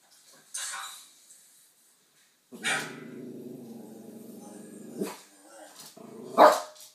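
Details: Yorkshire Terrier indoors reacting to a dog and baby on TV: a short sharp burst, then a sustained low rumbling growl of about two and a half seconds, ending in one loud, sharp bark.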